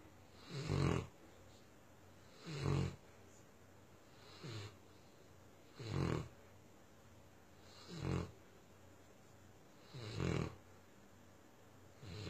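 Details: Tosa Inu named Myah giving deep, rasping snore-like breaths, each a short low rumble repeating roughly every two seconds in an otherwise quiet room.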